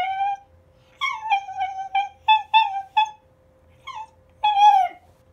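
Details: Schnauzer making odd voiced sounds in response to a humidifier being turned on indoors: a series of short tonal yips and whimpers, about eight quick notes, then a longer wavering whine, over a faint constant hum.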